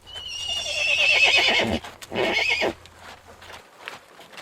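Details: Horse from a galloping herd giving a high, thin whinny that slides downward, then a shorter second neigh, with a low steady hum underneath and faint hoof clicks.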